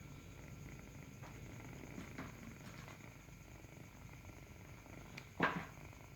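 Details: Nursing kitten giving a quiet, low, pulsing purr, fainter than room noise at times, broken near the end by a brief sharp knock or rustle.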